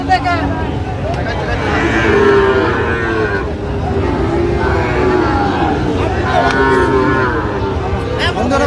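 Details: Sahiwal bull calves at Raniganj cattle market, Gazipur, Bangladesh, on 7 August 2025, lowing in drawn-out, low tonal moos that rise and fall, amid constant market chatter, bargaining voices and crowd noise.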